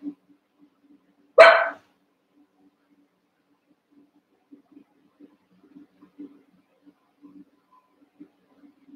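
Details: One-month-old Cavalier King Charles Spaniel puppies, eight together in a pen, wrestling and playing; a single sharp, short bark rings out once, followed by soft scuffling and faint clicks of the puppies moving about.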